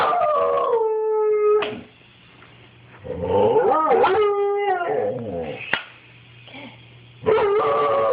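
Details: Pet dog reacting to a toy helicopter with loud, drawn-out howls that slide and waver in pitch, broken by yelping barks and short pauses. Recorded on an Android phone.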